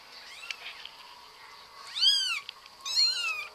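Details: Pet cat in a funny cat compilation uttering two clear meows close together, each an arched rise-and-fall tone with bright overtones, over a faint background hiss and a few soft taps.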